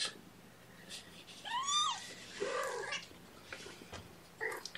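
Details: Young guardian kittens indoors at a morning feeding, hungry while their mother is distracted and has no milk; several high arched mews, the loudest near the middle, then short fainter cries, with a woman talking quietly.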